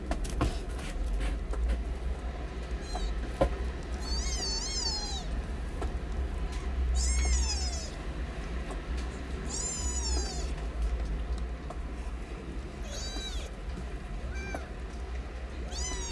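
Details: Recently born kittens from a stray litter of nine, kept in cat houses in a safe zone, mewing while learning to nurse from their mother; thin, rising-then-falling cries repeat every few seconds against a low rumble.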